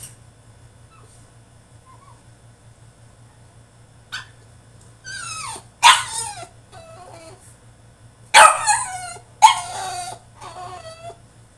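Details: French Bulldog throwing a tantrum in his cage: a few sharp yelping barks and whiny cries come in scattered bursts, with quiet gaps and a low steady hum between them.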